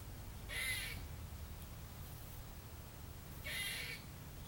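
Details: Harsh rasping bursts from a squirrel calling up in a tree at a trailer park, Tuesday 30 December 2014: two short broad barks about three seconds apart over a low background rumble.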